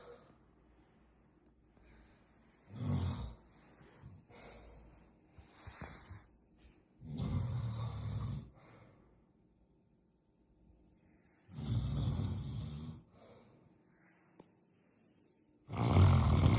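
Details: Sleeping cat giving deep, rumbling snores in uneven bursts roughly four seconds apart. Softer snuffling breaths fill the gaps, and a loud final snore closes the passage.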